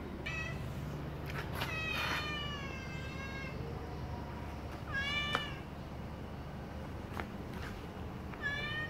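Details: A pet cat meows repeatedly as breakfast is prepared for it: a run of insistent, wavering meows, some short and some drawn out, with occasional clicks and soft kitchen rustling behind.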